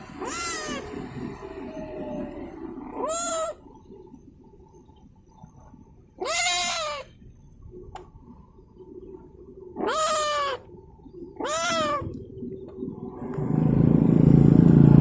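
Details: Stray cat abandoned on the street, still wanting to go home with someone, meows five times, each cry loud and drawn out with a rising then falling pitch, spaced a few seconds apart; engine rumble swells at the end.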